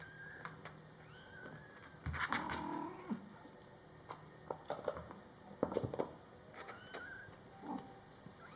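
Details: Scottish Fold kittens in their first month with mother cat Coco: a longer low meow, then sharp clicks and knocks, with thin high kitten mews drifting in and out.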